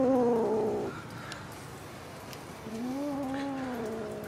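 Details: A kitten gives two meows separated by a quiet pause, a strained first cry followed by a longer, steadier, gently arching one.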